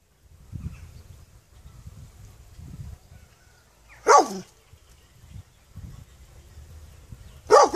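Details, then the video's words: Dog barking singly: two isolated, abrupt barks several seconds apart, separated by low rumbling background noise. "Qeni duke Lehur The dog is barking"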